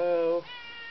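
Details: Pet cat calling its owner from the other side of a bedroom door in the middle of the night: one short, loud, tonal meow that drops off abruptly, followed by a fainter, higher trailing note.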